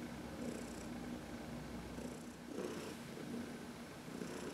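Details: Heidi, a senior female cat adopted from the Humane Society of New York City, purring contentedly while massaged in the sun on March 19, 2021; a soft, low rumbling purr swelling with each breath about once a second, indoors and otherwise quiet.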